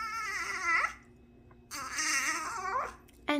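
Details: A puppy refusing to sit, indoors, giving two drawn-out, wavering whimpering whines about a second each, high and nasal with a falling end, separated by a quiet pause, and a short yelp at the close.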